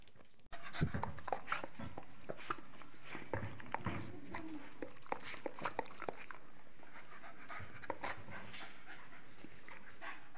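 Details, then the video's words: Two Staffordshire Bull Terriers playing together, Nelly, a 12-month-old female, and Rip, a 7-month-old male. Steady, rapid panting runs throughout, mixed with scratchy scuffling and sharp clicks, after a brief quiet opening. "STAFFORDSHIRE BULL TERRIER / Staffbull - matches/games"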